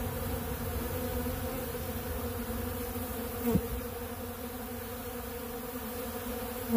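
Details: Many honeybees feeding on pollen from a large blue feeder, producing a continuous layered hum, with a short knock midway and another at the very end.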